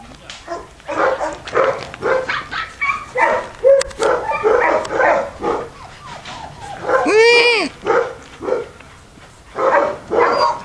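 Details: Female German Shepherd puppy born May 2010 gives repeated short yelping barks in quick bursts, with one long arched whine midway, then more yaps; faint voices in the background.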